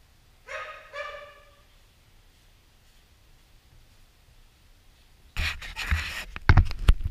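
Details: Dog barking while helping train another dog, a pointer named Gracie, alongside a white Central Asian Shepherd named Safar: two short harmonic barks about half a second apart near the start, then quiet, then loud broadband rustling and thumping from about five seconds on.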